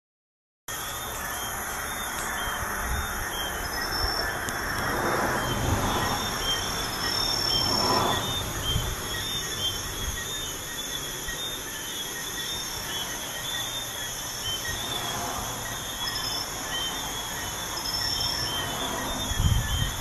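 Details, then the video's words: Crickets at night beside a busy highway: steady high, ringing trill layered in several bands, running without pause, while passing traffic swells and fades as broad whooshes beneath. "Crickets at night by a busy highway"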